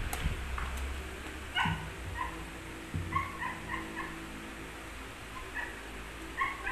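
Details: Pomeranian dogs at play, giving short, high, squeaky yips and little barks in scattered bursts over a steady low background hum, with a couple of soft thuds.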